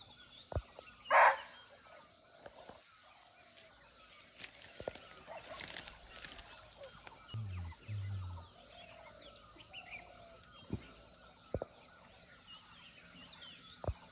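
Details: Live forest recording from Nepal of a nearby wild barking deer (muntjac): one short, explosive bark early on, then a long stretch of dense insect chorus, scattered clicks and a low rumble.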